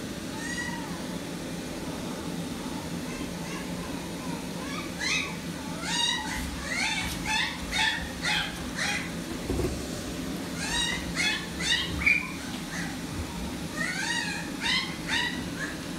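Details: Toy poodle in a pet shop in Kurashiki, Japan, giving high, thin whining yelps, each rising then falling, in quick bursts of four to six calls separated by short pauses, over a steady low hum of shop background noise.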